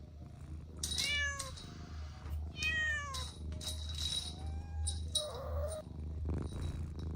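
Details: Kittens at play on grass utter a series of short, downward-sliding meows, two prominent ones then fainter, softer mews trailing off, over a constant low rumbling background and some rustling.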